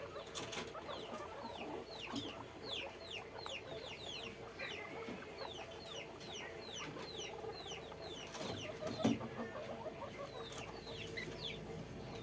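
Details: Many guinea pigs squeak in a crowded farm cage: dense, overlapping high notes that drop in pitch, repeated rapidly throughout over a humming background.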